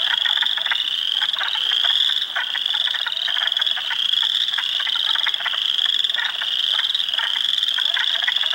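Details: Hundreds of frogs in a spring swamp at Heartland Forest, Ontario, April 2, 2022, Spring Peepers, Wood Frogs and Eastern Chorus Frogs among them; piercing peeps form a constant high band while short rapid croaks rattle beneath.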